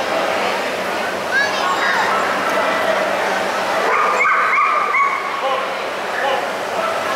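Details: Havanese dog recorded 14 February 2015, giving short high whining and yipping cries with harmonic upward sweeps, a cluster around four to five seconds, over steady broadband indoor noise and faint voices.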